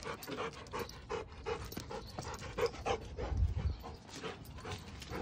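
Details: Rapid rhythmic panting from a female Giant Schnauzer, short breathy huffs coming roughly every half second, with a brief louder low thump near the middle and steady background hum.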